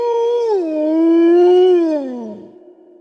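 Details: Wolf howl: a single drawn-out, tonal note with rich overtones that dips early, holds steady and then slides downward as it fades out after about two and a half seconds.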